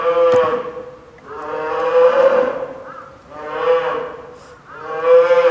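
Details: Hungry polar bear cub Lila, a nine-month-old female, keeps fussing near mother Lala at Maruyama Zoo, Sapporo, in typhoon wind and rain on 2 October 2015; drawn-out, nasal, harmonic wails in four swelling waves.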